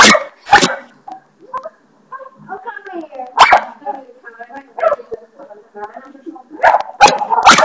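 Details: Indoor dog barking at a bathroom doorstopper, loud sharp barks at the start and end with quieter whines and murmuring voices in between.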